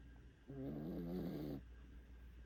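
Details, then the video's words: Sleeping five-month-old puppy, worn out after a walk, gives one drawn-out, rumbling snore of about one second with a rough, layered tone, then quiet breathing against a low indoor hum. "5개월 강아지의 기절후 코콜이"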